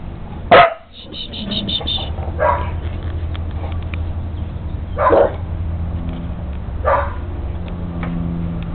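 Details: Welsh Corgi named Jake herding his new puppy sister Trixie, a West Highland White Terrier, at home: a loud sharp bark opens, then further spaced barks about every two seconds, with a person's voice and low background hum.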